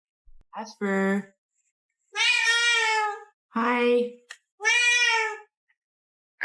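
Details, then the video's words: Pet cat indoors talking back to its owner with long, loud, harmonic meows, three drawn-out calls spaced about a second apart after a brief short squeak. "Cats Start Talking Back To Their Owner"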